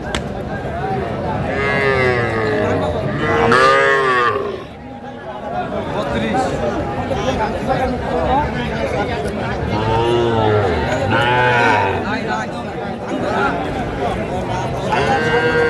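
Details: Young bull and heifer calves at a cattle market in Cumilla, Bangladesh, on 11 January 2025; several drawn-out, wavering moos and bellows rise over the busy crowd chatter and bargaining voices, with a brief lull in the middle.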